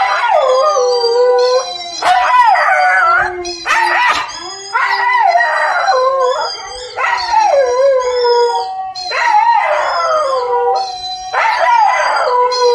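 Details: Four-month-old Siberian Husky puppy howling in reaction to a dog howling on TV: a series of drawn-out, sliding wails that dip and rise, repeated roughly every two seconds, with a steady quiet background.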